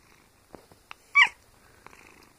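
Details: House cat making a single short, sharp, high-pitched squeak, framed by faint clicks and light handling noises.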